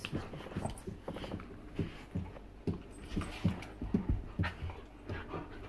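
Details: A Bull Terrier indoors pants and gives low, short whimpering grunts.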